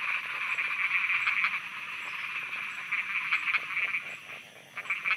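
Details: Night frog chorus from Thailand, with overlapping croaks forming a continuous buzzing band and short, sharper clicking bursts that rise and fade irregularly, joined by a thin high repeated ticking.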